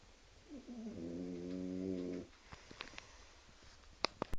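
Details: French Bulldog Arnold asleep at night, snoring loudly: a single drawn-out, buzzy, tonal snore of nearly two seconds, then small clicks and rustles in a quiet indoor room.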